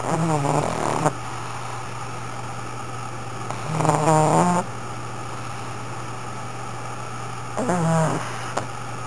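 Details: Sakura, a pug, snoring loudly: three drawn-out rasping snores spaced about four seconds apart over a steady low hum, each with a low droning base and a crackling upper edge.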